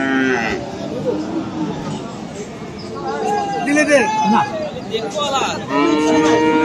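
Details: Several cattle moos at the Aftabganj cattle market in Dinajpur, 21 February, among Friesian and crossbred bull calves. Short bending calls overlap in the middle, then a longer, steadier moo closes the clip, with market voices throughout.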